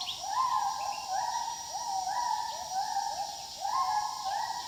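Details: Gibbons in the wild give a run of hooting notes that swoop upward and flatten out. The overlapping voices come in rapid succession over a constant buzzing insect background.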